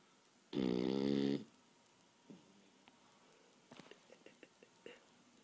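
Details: After a long day of playing and running, a napping Boston Terrier gives one drawn-out, buzzy, rattling snore lasting about a second; afterward faint taps and clicks break the quiet of a small room.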